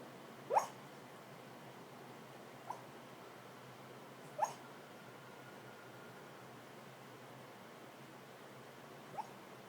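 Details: Pet dog suddenly vocalizing while asleep: four short, rising squeaky whimpers scattered over about ten seconds, two louder and two softer, over a quiet indoor background hiss.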